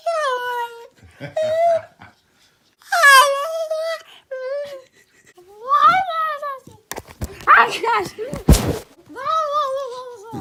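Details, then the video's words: New puppy making funny noises indoors: a series of drawn-out, wavering whines and moans, several sliding down in pitch, with short pauses between them, a brief noisy burst near the end, and a quiet room. "My new puppy makes funny noises"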